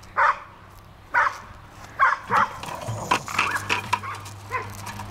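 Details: Bruiser the Bulldog at play with a bucket, giving short sharp barks spaced about a second apart, with clattering and scraping of the bucket between them.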